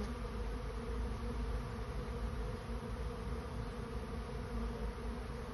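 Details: Honey bees swarming toward a new home fill the air with a loud, dense, unbroken buzzing roar, low and steady, with a faint hiss over the top.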